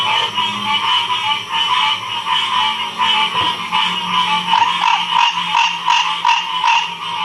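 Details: Frog chorus recorded in Ocean Springs, Mississippi in 2016: dense overlapping croaks and trills stacked in bands, pulsing steadily in rhythmic waves with louder individual calls standing out near the end.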